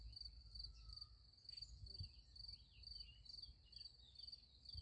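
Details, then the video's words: Night crickets by a sunflower field keep up a continuous high, finely pulsed trill, with scattered faint higher chirps and a low background hum. "Nice Sunflower Field with Crickets Sound Effect"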